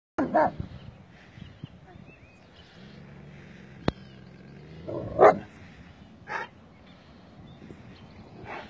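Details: Seven-month-old puppy in Newport, Rhode Island, on leash, showing aggression toward another passing dog; sharp barks near the start and around five seconds, a shorter one after six seconds, with a person speaking quietly between outbursts.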